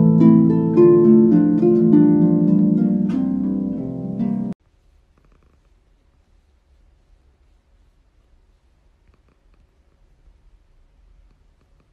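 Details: Plucked harp music plays for about four and a half seconds, then cuts to near silence with only faint low rumble for the rest.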